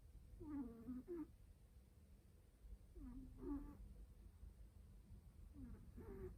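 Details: Drowsy domestic cat drifting off to sleep with loud snoring: three throaty, rasping snore breaths, the first doubled, spaced about two and a half seconds apart against a quiet background hum.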